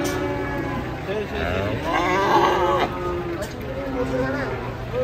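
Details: Enraged cattle frightening onlookers, drawing a crowd of residents: a drawn-out harmonic moo swells in the middle, mixed with people talking and crowd noise.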